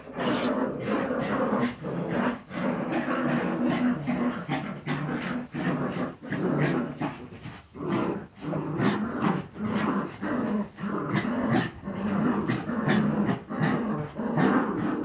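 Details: Jagdterrier puppies in a continuous scuffle of growls and high whimpers, harsh overlapping bursts with brief pauses throughout.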